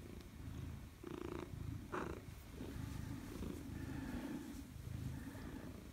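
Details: A Maine Coon greets its owner coming home on 4 December 2019, purring steadily in low rumbling pulses with a couple of brief chirps.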